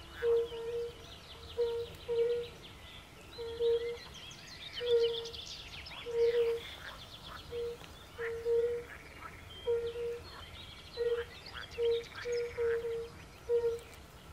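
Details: Extended fire-bellied toad concert at a forest pond, where pool frogs also live: many gentle, low, bell-like hoots overlapping in an irregular chain, around 45 per minute, beneath busy birdsong.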